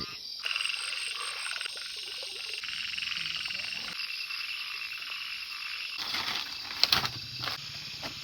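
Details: Frogs calling through the night around a tent pitched in a farm field where a couple camps: a dense, buzzy, high chorus with rapid rhythmic croaks throughout, and a brief louder burst near the end.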